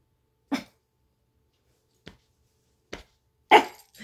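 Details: A Chihuahua named Lady, happy and then feisty during playtime indoors, gives a few short sharp barks spaced apart, the last one loudest, with quiet gaps between them in a small room.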